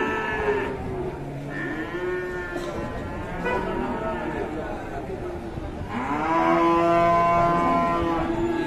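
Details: A fierce cow gives long, wavering moos, the last one loud and sustained for nearly three seconds. Overlapping voices and a busy background are heard beneath.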